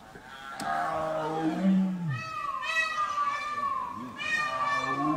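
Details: A male tiger in Ranthambore National Park gives a deep, drawn-out moaning call that sags in pitch, calling a female to mate.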